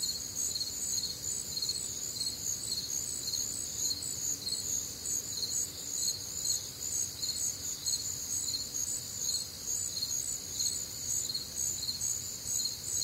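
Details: Crickets in full nocturnal chorus on a warm Midwestern summer night, shrill high trills throbbing in steady pulses about twice a second, unbroken for the whole stretch, faint rumble underneath.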